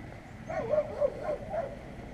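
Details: Street dogs barking at passers-by on a street, recorded with a GoPro Hero; a quick run of four short, clipped barks about every quarter second, mid-pitched and fairly even.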